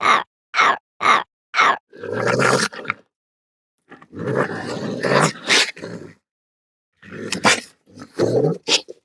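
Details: Raccoon (Procyon lotor) gives four quick squealing chirps, then rough, hissing growls that rise and fall.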